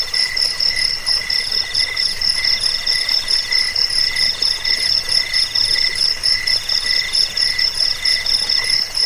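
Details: Cricket recording meant to drive away rats, lull people to sleep and tutor songbirds; high ringing pulsed chirps in bursts of about two seconds, several voices overlapping in a steady dense chorus, no other sounds.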